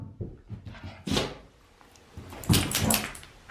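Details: Shiba Inu, one of two pet dogs named Mame and Chame, giving a sharp, breathy sneeze burst and then a longer noisy snort-like burst, with soft thumps and a person repeatedly saying in Japanese that they will go for a walk.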